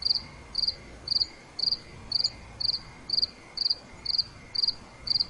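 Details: Night cricket chirping, crisp high pulsed chirps spaced roughly half a second apart, steady and rhythmic over faint background hiss.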